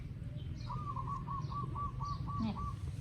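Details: Newborn puppies in Cambodia, recorded by phone, give a run of short, rapid pulsed whimpers at a steady mid pitch, about eight bursts in quick succession over a low steady hum.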